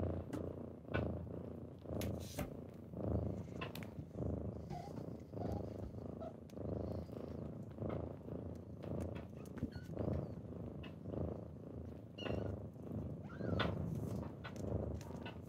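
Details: Pet kittens purring through a typical morning wake-up, a close, throaty rumble in rhythmic breath pulses nearly once a second, interrupted by occasional taps and rustling movement.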